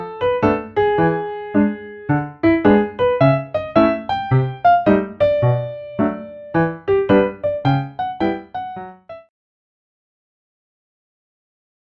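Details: Playful piano melody with bright, evenly repeated notes that stops abruptly after about nine seconds, followed by silence.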